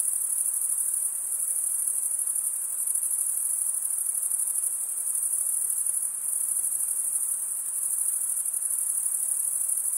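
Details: Crickets chirping, males stridulating by rubbing one wing across the toothed vein of the other; a dense, continuous high-pitched trill, steady throughout with only slight dips, no other sounds.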